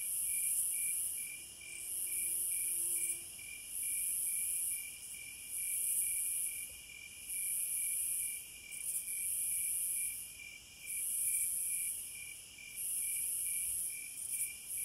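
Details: Cicadas sing in rhythmic bursts of piercing, high buzzing, each about a second and a half long and separated by short pauses, above a steady, fast-pulsed insect trill.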